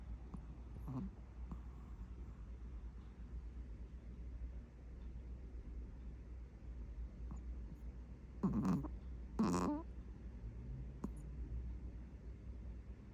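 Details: Napping Maltese dog, described as a manly boy, snoring heavily: a low steady rumble throughout, then two louder rasping snorts about a second apart near the end, with a faint earlier snuffle.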